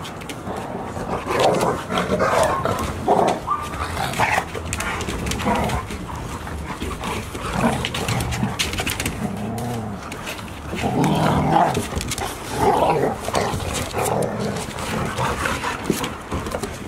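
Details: Golden Retriever puppies, 186 days old and nearly as big as their mother, with the mother at Ain village, filmed 28 October 2018; bursts of mid-pitched, tonal, whine-like vocal sounds come and go over steady rustling and movement noise.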